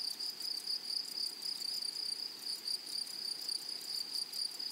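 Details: Meadow grasshoppers among wildflowers produce a high, sizzling trill broken into quick pulses, roughly three to four per second, with the loudness rising and falling in short waves.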